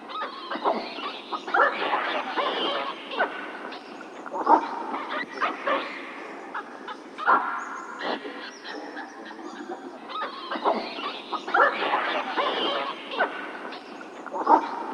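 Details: Hamadryas baboon (Papio hamadryas), calls.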